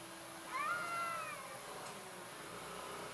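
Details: Orange cat described as a coward utters one short, soft meow that rises slightly and then levels off before fading into low background hiss.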